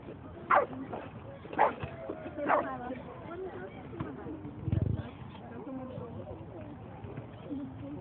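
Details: Boston Terrier at a dog run on 22 May 2011 gives three sharp barks about a second apart early on, followed by a person talking and scattered background chatter.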